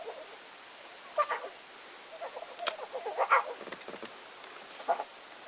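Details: A week-old lion cub suckles, giving contented noises: brief clicking and smacking bursts mixed with short tonal squeaks and grunts, bunched in the middle and recurring near the end against a quiet background.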